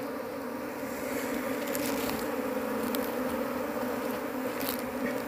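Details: Asian honey bees (Apis cerana) in a large colony, searched through for the queen without success, hum in a loud steady drone, with several sharp clicks and taps from handling scattered across it.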